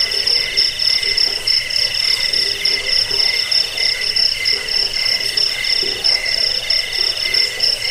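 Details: High cricket trill for rat repelling, sleep and bird training, pulsing in fast even beats; a continuous ringing insect chorus fills the background.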